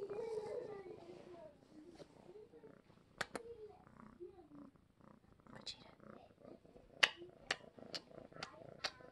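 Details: Happy pet cat Vageta, a male foster, purring while petted and cradled like a baby; a low, soft purr rumbling at first, then quieter, with a series of sharp clicks or taps in the second half.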